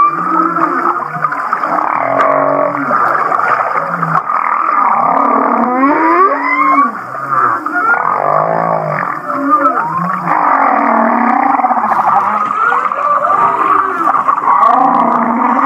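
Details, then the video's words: Humpback whale recorded near Kihei, Maui, in a song said to resemble laughter: continuous layered groans and low grunts, broken by rapid rising chuckle-like sweeps around the middle, with dense harmonic droning throughout. "The Laughing Whale"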